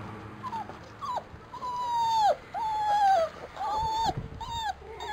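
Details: Labrador Retriever puppies from a B litter racing through frost; a series of high, thin whines, each sliding up then down or held briefly, coming roughly once a second with short gaps, over soft rustling background.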